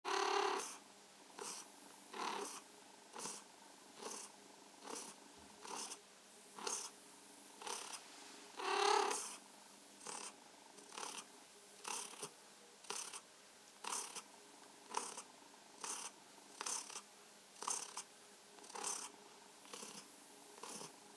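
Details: Domestic cat named Mausi purring while enjoying being stroked and massaged; soft rhythmic purring in a quiet indoor space, pulsing steadily about every 0.7 seconds with brief breathy swells, one louder surge near nine seconds.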